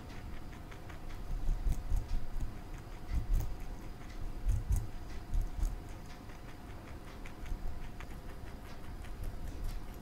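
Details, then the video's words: Marshmallow, a pet male rabbit, munching broccoli in a small room: rapid, irregular crisp nibbling clicks, several louder crunches between fainter chewing, low background hum throughout. "Bunny Eating Broccoli"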